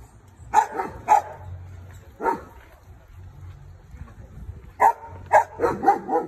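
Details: Australian Shepherd dog barking: sharp, loud barks in uneven bursts, a pair at the start, a single bark, then a quick run of five after a pause, with a low background hum between them.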